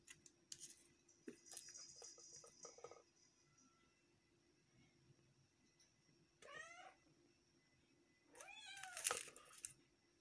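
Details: Domestic cat indoors, giving two drawn-out meows, the second longer and louder, after scattered clatter and rustling sounds of food preparation, with a steady faint hum in the background.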